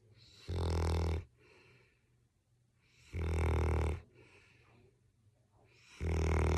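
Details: Loud, deep snores from Coop, an English Springer Spaniel asleep indoors, come in three long rumbling bursts about every two and a half seconds, with soft breathing in the gaps.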